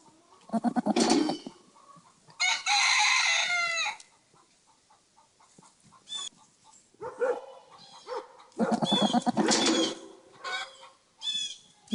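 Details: Farm bucks whose voices are said to resemble film dinosaurs: loud, raspy, harmonic bellows lasting one to one and a half seconds, repeated in bursts with shorter rough grunts and clicks in between.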